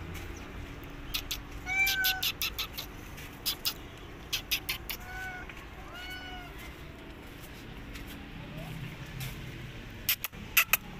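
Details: A mother cat makes her way toward her kittens while escaping someone who follows her. She gives brief, bowed meows, two or three at a time, with rapid ticking clicks and a faint background rumble of vehicles.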